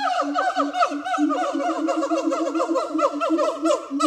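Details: Harry and Mila, two siamang gibbons at Zoo de La Fleche, singing on a hot summer morning, 6 August 2018. A dense stream of rapid, barking, harmonic notes over a steady low booming tone, overlapping and continuous throughout.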